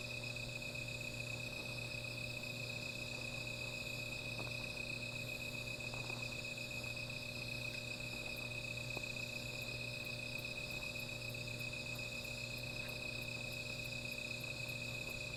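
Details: Insects calling at night by a small fire, a constant high shrilling chorus joined in the second half by a very high, rapid ticking repeated about three times a second, with occasional crackles.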